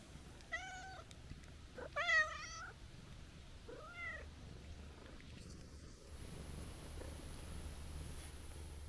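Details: Stray calico cat calling out when someone starts to go home: three clear, tonal meows within about four seconds, the middle one longest and bending, then quieter rustling and low steady background hum.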